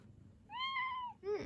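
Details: Pet cat Mugi, indoors in a kitchen, seeking attention whenever someone stands there, gives a long, steady, slightly arching meow followed by a short, sharper chirp-like second meow, while a person murmurs nearby.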